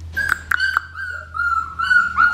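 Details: Female blue merle Australian Shepherd puppy whining: a few sharp yips, then a long, steady, high-pitched thin whine that wavers slightly, over a low background hum.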